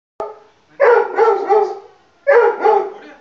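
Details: Pug puppy playing hide and seek, giving short harmonic yapping barks in two bursts of two to three quick yips each, separated by a brief pause, with a faint click at the start.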